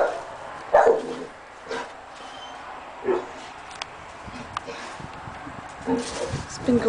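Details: Dogs barking on May 7th around 6:15 in the afternoon, the barking having gone on for almost two hours; sharp single barks spaced a second or more apart, with a person talking in between.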